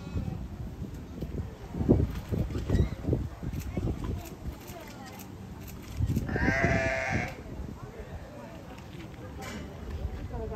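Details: Afternoon exchange between wombats Yuki and Wine: low thumping and rustling noises early, then a single buzzy, bleat-like call of about one second, followed by quieter background rumble.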